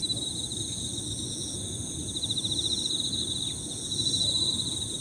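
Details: Emma field crickets layer their bright, rapid chirps into one unbroken high trill, joined by faint higher-pitched insect notes, with a low murmur of ambient noise underneath.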